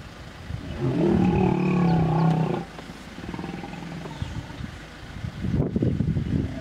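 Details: Hippopotamus in Kruger National Park, South Africa, on the Vurhami River, a female defending her young against an approaching animal near a small pod: a loud, low, harmonic roar-like bellow lasting about two seconds, then lower grunting pulses and a second rough burst.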